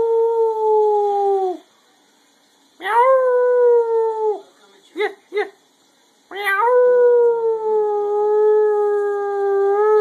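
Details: Pet dog 'singing': a sustained, steady mid-pitched howl, a pause, a second howl, two short yips, then a long unbroken howl running to the end.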